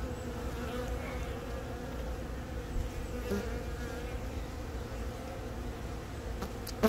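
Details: Honey bee colony with a newly mated queen, hatched from the year's first natural swarm, laying eggs on a comb on April 20 in Baegam, Yongin, Korea; recorded on a Galaxy Note10. A steady, low, droning hum holds throughout, with faint scattered clicks near the end.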